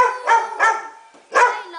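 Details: Pet pit bull barking three times: two quick bright barks, a pause, then a third bark. A woman talks affectionately to the dog around the barks.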